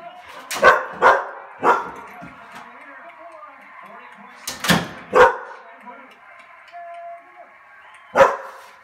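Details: Two-year-old black Standard Poodle indoors barking at another black poodle in a dog competition on TV: sharp single barks, a quick pair, then spaced barks, over the television's background sound.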